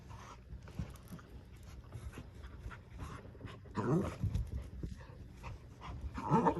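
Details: Two dogs in a tug-of-war over a new toy duck. Soft breathy panting runs underneath, then two louder, rough, low growling bursts, one near the middle and one at the end.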